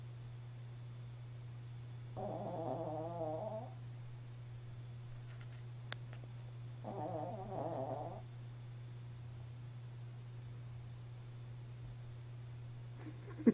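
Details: Sleeping pet Chihuahua Jarrod saws logs with two drawn-out, raspy, vibrating snores roughly five seconds apart, each lasting over a second; scattered light clicks and a constant low hum fill the quiet room.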